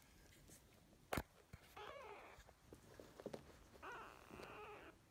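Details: Kittens, a pair of sisters taken into foster care in spring 2017, growing day by day; two soft, drawn-out mews with harmonic overtones a couple of seconds apart, plus a sharp knock and light indoor rustling.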